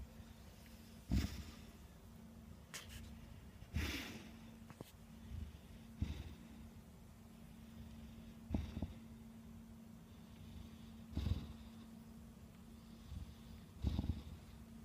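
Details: Kuu-chan, a 13-year-old female Bulldog, indoors in a small room, snores loudly: low, rough snorting breaths recur roughly every two and a half seconds over a steady faint hum.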